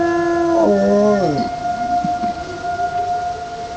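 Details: One male dog, outdoors on a cold Michigan winter day in January 2005, howls along to a tornado siren test at 1:00 pm. A short, slightly rising howl breaks downward after about a second, with the siren's steady tone continuing behind it.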